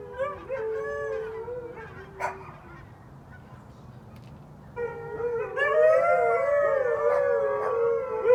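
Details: Four Siberian Huskies and a Pomeranian: a few faint wavering howls and a sharp yip, a quiet pause, then from about five seconds a swelling, many-voiced howling chorus with wobbling overlapping tones.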